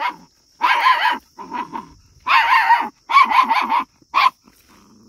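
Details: A frightened puppy barks at sheep, giving loud harsh barks in quick bursts, one long, several rapid strings of three to five, with softer growly sounds between them and a constant faint high whine behind.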